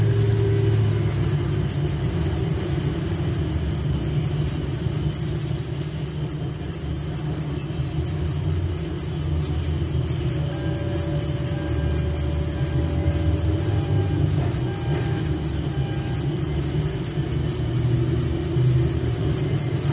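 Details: Cricket chirping in a forest at night, a continuous shrill pulsed trill at an even pace of roughly four beats per second, backed by low steady rumbling ambience.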